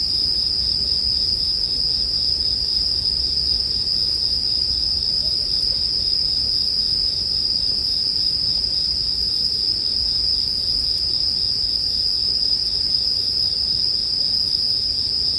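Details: Bell crickets chirring in a steady, unbroken high-pitched ringing chorus that holds one level throughout, mixed with the soft low crackle and hiss of a campfire, set as relaxing sleep background sound.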